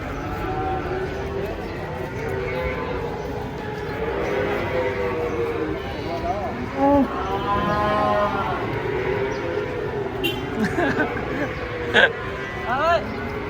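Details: Giant cow being unloaded, jumping down from a truck in Indonesia, gives drawn-out low moos with stacked harmonics around the middle, over steady crowd chatter, men shouting and outdoor noise.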